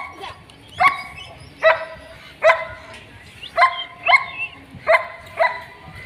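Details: Black and tan long-coat German Shepherd puppies, both male and female, in Delhi, giving about seven sharp, high yips in quick, uneven succession, roughly one every half to one second, with a quiet background.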